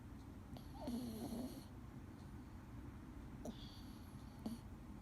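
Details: Dee, a male Scottish Fold cat, snoring while asleep indoors: two soft breathy snores about three seconds apart, each a low rumbling inhale with a hissing airy edge, in a quiet room.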